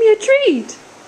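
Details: Female Alaskan Malamute Bailey talks back indoors, protesting at being given only one treat: a short, loud, tonal woo-like vocal that holds a steady pitch, lifts briefly, then slides down into a low groan, all within under a second.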